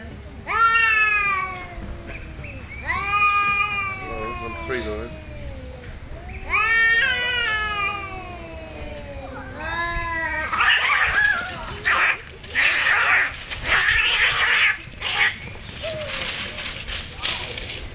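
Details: Two cats getting territorial at a resort in Thailand: three long, wavering yowls with falling harmonic tones in the first ten seconds, then harsh, noisy bursts in uneven spurts.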